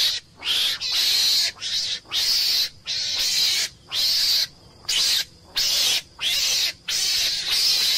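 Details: Meerkat, a small mongoose of southern Africa, giving harsh, hissing screams in steady bursts of roughly half a second, each broken by a brief silence, about eleven bursts in quick succession.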